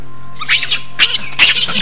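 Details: Assamese macaques in a conflict: sounds that may be a challenge, an insult or anger, and that may draw allies to join in. Three harsh, high, shrill screeching bursts sound over a steady low hum.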